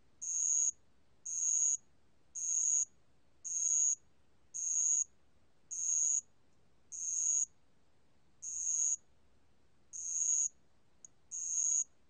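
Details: Bell cricket (알락방울벌레), 2020 recording from Korea's National Institute of Biological Resources: eleven shrill, ringing half-second trills at about one per second, the rhythm briefly broken by a longer pause midway, plus one tiny click.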